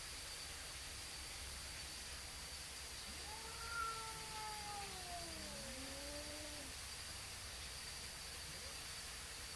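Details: Two neighborhood cats facing off outdoors and stalling their fight. A drawn-out, wavering yowl lasts about three and a half seconds, sliding down and then rising again at the end, over a steady background hiss and low hum.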